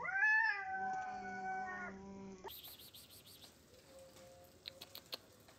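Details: Cats in a dominance standoff: one long, steady, nasal yowl lasting about two seconds, then quieter background with faint clicks and soft household noise.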